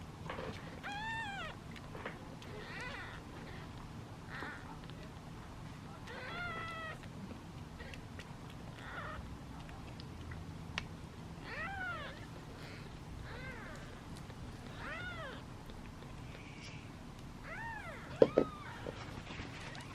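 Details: Domestic kittens waiting in a basket for their meal mew again and again, thin arched cries from several animals overlapping at times, with low background rumble and a couple of sharp knocks near the end.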